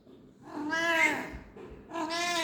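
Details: Domestic cat seeking affection after waking, indoors with a person talking to it; two clear, drawn-out harmonic meows, the first rising then falling over about a second, the second starting near two seconds, with soft speech nearby.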